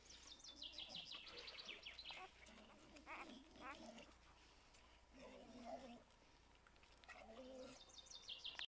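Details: A five-day-old male Standard Bull Terrier puppy with a white blaze squeaks and whimpers in thin, high, rapidly repeated chirps.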